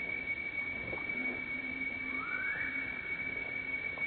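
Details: Baby monkey named Leo, hungry and crying to beg its mother for milk: one clear, thin, rising whine sweeping upward over about a second midway through, with faint scattered sounds and a steady high electronic tone throughout.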